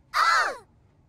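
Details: Shetland Sheepdog sisters play-fighting at home, a three-year-old blue merle female and her younger bi-black puppy sister: one short, loud, arching yelp-like bark lasting about half a second, with a person's voice just before and after.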